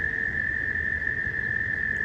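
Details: Frogs calling at a nearby pond during mating season, swimming around in a small pool and heard at unusually close range; a steady, high, unbroken trill-like tone holds for the whole stretch over a low rumble of background noise.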